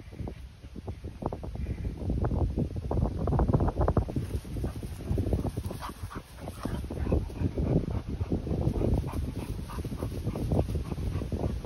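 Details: Rapid huffing breaths from Continental Bulldog Rita, aged 10 months, welcoming her 2-month-old little brother Sumo; dense, throaty low pants run steadily throughout, swelling in the middle, with a few faint whimper-like tones.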